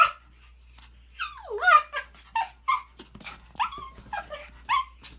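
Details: A male Shih Tzu, coaxed by his owner, makes odd, warbling whines and yips, sliding up and down in pitch in short bursts.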